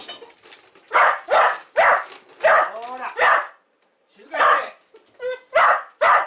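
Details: Pet dog at home on a rainy day, barking around meal preparation; repeated sharp barks in quick bursts with a whining, rising note midway and a person's voice mixed in.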